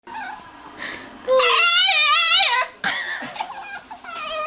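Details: Dog making funny noises: a wavering, warbling whine with a loud, sustained middle stretch of rippling pitch, then shorter broken whimpers, apparently indoors.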